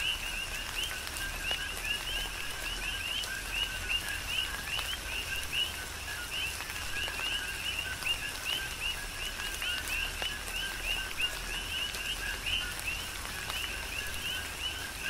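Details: Coqui frogs calling together in tropical rain on Hawaii's Big Island: a continuous mesh of short, bright, upward-sliding two-note chirps, with rain hissing evenly beneath and occasional louder drops.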